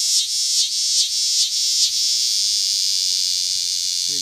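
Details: A big green cicada in Lancaster County, Pennsylvania, on August 18, 2016, gives a loud, high, hissing buzz that pulses roughly every half second for two seconds, then runs on steadily; a brief voice is heard at the very end.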